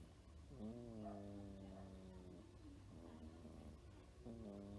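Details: Domestic cat near ten years old, with a single fang and no other teeth, asleep and snoring after daily morning antibiotics for an ear injury; soft tonal rasping breaths with harmonics, each drawn out about two seconds, repeating after a pause.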